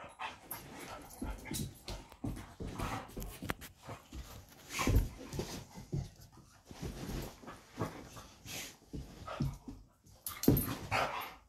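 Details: Indoors in a home office, an old golden retriever and an old kelpie play-wrestle to urge their owner out for a walk; irregular throaty grumbles and panting, with louder growling yelps near five and ten seconds.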